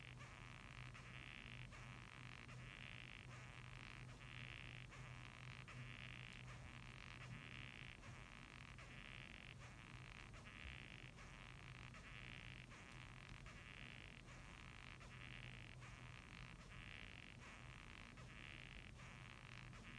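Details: Japanese rhinoceros beetle squeaking, a creaky 'gyuu-i gyuu-i gyu gyu' made of rasping bursts repeated about every 0.7 seconds, steady through the clip, with a low constant hum underneath.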